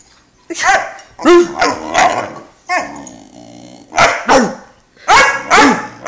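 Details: A young Great Dane puppy, 11 weeks old, protests loudly at having to climb onto a couch by himself, mixing harsh barks, growls and yelping cries in a rapid series that carries on in bursts.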